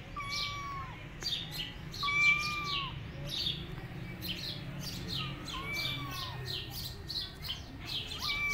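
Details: Rescued tabby kittens roaming on their own without their mother cat give short, mid-pitched mewing cries, several in a row, some rising then falling. A steady, rhythmic high chirping repeats throughout, with a low hum underneath.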